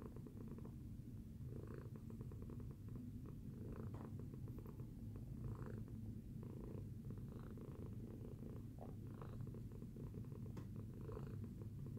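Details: After breakfast, a pet cat called Tacy purrs contentedly: a dense, low, vibrating drone that never stops, gently pulsing with each breath, recorded indoors.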